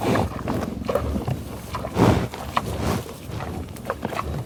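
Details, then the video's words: Bison in the Oklahoma tallgrass prairie at Pawhuska, recorded on a Schoeps microphone into a 788T: low rumbling grunts with scattered short sniffs, and a stronger snorting puff near the middle. "Buffalo Sound Effect"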